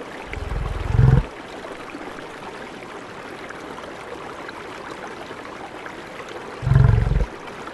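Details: Wild buffalo in a natural savannah habitat giving two short, deep grunting bursts about six seconds apart, each lasting under a second, against a continuous soft rushing background.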